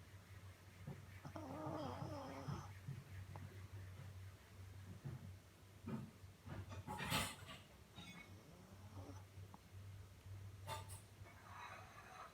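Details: A Shih Tzu snores with a low, rumbling drone broken by odd whiny and snuffling noises.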